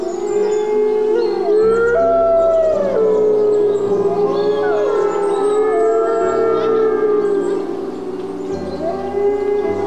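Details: A group of white gray wolves (Canis lupus) in a wildlife park howl together, long sliding tones overlapping in an eerie chorus.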